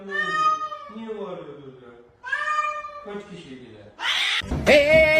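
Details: Kitten meowing in drawn-out, tonal calls that slide slightly downward, several in succession over about four seconds, followed by a burst of broadband noise and a higher, wavering cry at the end.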